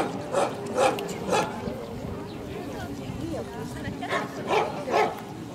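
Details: Junior female Central Asian Shepherd Dogs being placed at a club show in Krasylivka, Kyiv, 28 September 2019. Three booming barks, a pause filled with voices, then two more barks close together.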